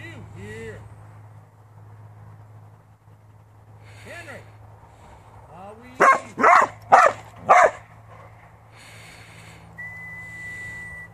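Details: Working farm Border Collie letting out four loud, evenly spaced barks about half a second apart, after soft whimpering and whining, with a steady whistle-like tone and low background hum.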